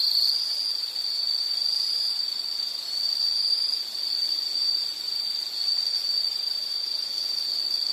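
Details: Insect chorus from a relaxing nature recording for studying or sleep, a constant shrill ringing trill that swells and dips gently, unbroken for the whole stretch.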